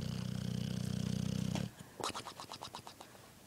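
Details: Pet boxer dog snoring while asleep indoors: a low, steady rumbling snore with fine rapid vibration for over a second, then a quieter run of short, evenly spaced breathy pulses.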